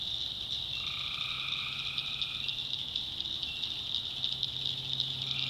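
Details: North Carolina backwoods swamp at night, where one tree frog gives a sustained nasal call lasting nearly two seconds amid a dense, pulsing high buzz of other callers.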